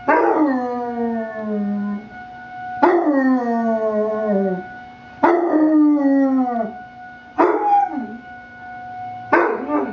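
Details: Basset puppy named Alvin howling along with a weekly emergency test siren; five long descending howls, each starting with a sharp onset and sliding downward over about two seconds, while the steady siren tone holds underneath.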